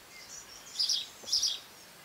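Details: Cerambyx scopolii longhorn beetles recorded in June 2015 give two short, loud, raspy squeaks about half a second apart, each a brief hissing burst, over quiet background hiss.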